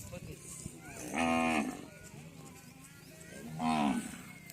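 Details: Local deshi cattle on a Padma river char near the India–Bangladesh border, where cows are sold cheaply: two loud, harmonic moos about two and a half seconds apart, each roughly half a second long, over quiet background murmur.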